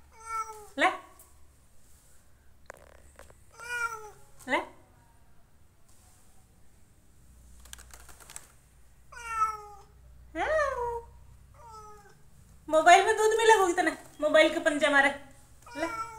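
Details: Domestic cat meowing indoors: several short harmonic meows with falling pitch spread across the recording, then a louder, longer run of drawn-out wavering meows near the end, with a person's baby-talk voice and quiet background hum.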